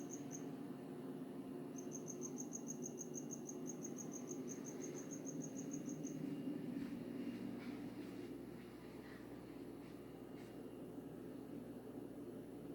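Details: Unidentified insect, perhaps a cricket, singing in the middle of the night in Hawaii: a rapid, high, evenly pulsed trill lasting several seconds, then stopping abruptly, over a steady low hum and faint footsteps.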